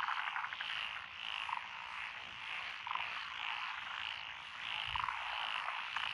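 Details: Frogs calling in lotus paddy fields beside a rural road, Echizen, Fukui, Japan, June 2021: continuous massed trilling chorus, with short rattling croaks from closer frogs at roughly one-and-a-half-second intervals.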